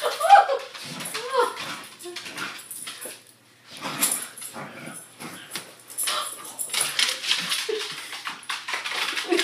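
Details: Corgi, a pet dog indoors, battling bed sheets: short high yips and whiny cries scattered among heavy rustling and flapping of fabric, with a person's voice talking in between.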